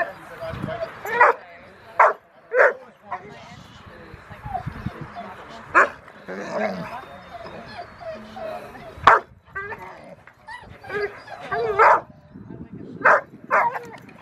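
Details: Rottweiler puppy Foofy barking during protection training post work on October 25, 2020: short sharp barks in bursts, roughly every second or two with pauses, a few whiny notes between, and people talking throughout.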